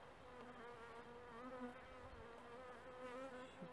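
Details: Honey bees at an apiary in France on 14 March 2018, during a hive check of brood and food stores with protein cake feeding; a steady, quiet droning hum with wavering tones runs throughout, unbroken.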